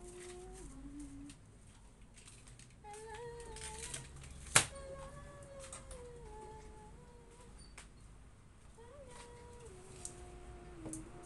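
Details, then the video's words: Siberian Husky arguing, voicing a run of drawn-out, wavering moans that rise, hold and slide downward, separated by short pauses, with a sharp knock midway and faint background noise. "HUSKY ARGUING"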